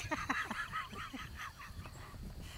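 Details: Great Pyrenees puppies, four weeks old, on their first time outdoors on a property in Middle Tennessee, crawling over people; many overlapping high whines and squeals at once, with laughter in the background.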